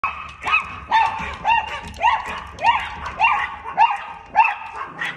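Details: Chihuahua barking at a cat: a steady run of sharp, high yapping barks, about two every second, each with a quick upward inflection, with faint background noise between barks.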